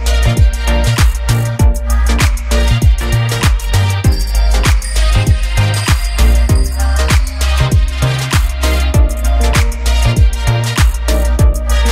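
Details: Loud rhythmic music with a heavy, regular drum beat and bass runs the whole time, with no animal voices.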